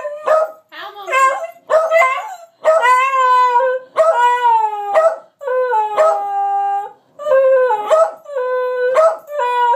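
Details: Two pet dogs performing a howling, yelping trick; overlapping drawn-out howls of varying pitch, some sliding downward, mixed with short yips and a brief human voice near the start.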